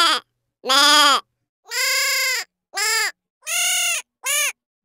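A goat gives a run of nasal, wavering bleats, each about half a second long.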